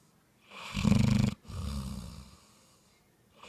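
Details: Bloodhound asleep, letting out one rasping, rumbling snore followed by a softer, breathy wheeze as it exhales, then a quiet pause before the next breath begins.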